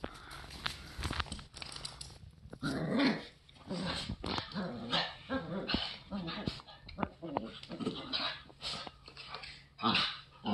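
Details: Two dogs at play, one of them a Boston terrier on its third day with the family, trading rough growls and short sharp barks amid scuffling, while a person talks and laughs over the tussle.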